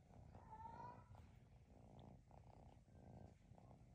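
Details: Purring from a male Maine Coon kitten almost 12 weeks old, held and cuddled indoors in SE Michigan; a low, soft, rumbling purr pulsing in steady waves, very quiet, with faint rustling.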